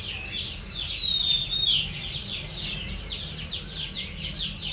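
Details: Cricket chirping as a masteran training sound for songbirds: loud, clear high pulses repeating about three times a second, with busy bird-like twittering and sweeping whistles running alongside.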